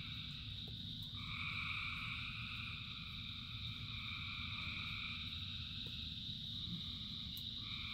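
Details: Rain-soaked frog chorus from thousands of singers: sustained, shimmering high trills swell after the first second and hold, with light rain hiss and a deep background murmur throughout.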